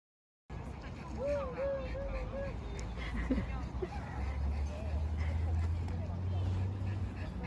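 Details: Boston Terrier Mocca at a playground, excited at the sight of her favourite bouncy ball and whining for it to be kicked; a wavering, high, drawn-out whine rises and falls, with a woman talking over steady low rumble.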